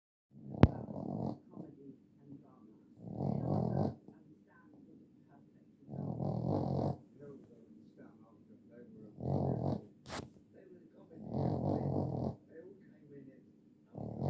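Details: Boston Terrier dog snoring indoors: deep, rough, rumbling snores in bursts of about a second, repeating roughly every three seconds, with quiet breathing between them and a sharp click near the start.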